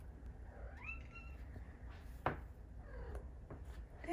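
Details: A pet cat calling while wanting a belly rub indoors: a rising-then-falling meow early on, later a few softer chirps, with a woman calling the cat's name and low room rumble.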